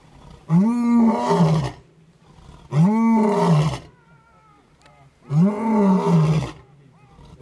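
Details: Lion at Edeni Game Reserve during a 2011 trip: three long, deep, moaning roars, each lasting over a second with a low arched tone, spaced about two seconds apart in quiet surroundings.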